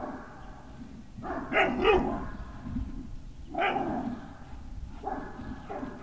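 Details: Great Dane puppies, Puppy Hill, afternoon of 18 November 2018: softer, rough-edged barks come in three short bouts spaced a second or two apart, with steady low background noise throughout.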